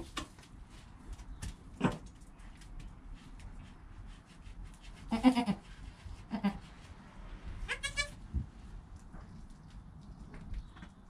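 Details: Newborn goat kid named Joel, within an hour of his birth, beside his calm mother Penny, captured on a GoPro; two short harmonic bleats rise out of low rustling and handling noise, one midway and another near the end.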